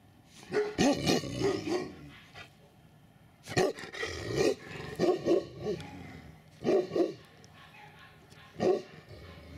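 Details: Winter 2019 at the "S Volchyey Zemli" kennel, where Tibetan Mastiffs give loud, deep barks in quick irregular bursts, some doubled or tripled, with short pauses between the volleys.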